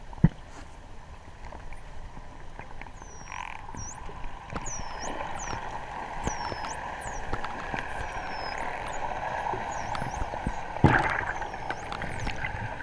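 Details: Wild dolphins underwater on a sunny 12 November 2014, water at 25°C, recorded while swimming with them: a lively series of high, looping whistles, some U-shaped and rising, with scattered sharp clicks and a soft watery rush.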